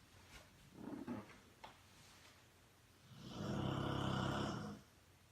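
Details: Rottweiler asleep on a couch, snoring: a few soft, rough breaths early on, then one long, loud, raspy snore lasting nearly two seconds before quiet returns.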